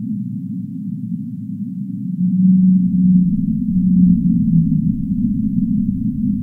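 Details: ['Whale calling with low, steady moaning tones that swell in the middle and slide slightly downward near the end, over a dense underwater rumble.']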